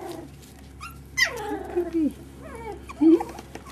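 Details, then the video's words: Jack Russell Terrier puppies, five and a half weeks old, indoors: a high whine sweeps sharply downward then trails off, followed by a shorter rising-and-falling whimper near the end, over a low steady hum. "Jack Russell pups 5 1/2 week"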